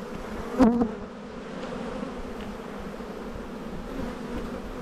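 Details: A spring hive inspection of honey bees in the bee yard, with a steady low colony hum throughout and a short sharp knock or voice blip just after the half-second mark.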